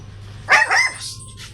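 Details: A Belgian Malinois, a female described as aggressive, at a dog stud service: one sharp, harsh bark with a short second burst, then a faint trailing whine over low background hum.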